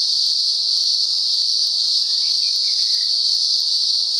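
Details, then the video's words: Cicadas chorusing in daylight in the upper Blue Mountains, Australia, part of an outbreak going on and off for about a week; a steady, dense, high-pitched shrill drone holds unbroken throughout, with faint bird chirps in the background. "Cicada Symphony"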